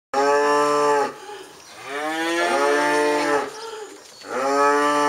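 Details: Registered Charolais cows of French and American bloodlines; three long, loud moos, the middle one rising and falling, separated by brief pauses, with a steady low hum underneath.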